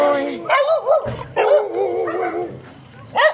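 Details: Chow Chow; bark; anger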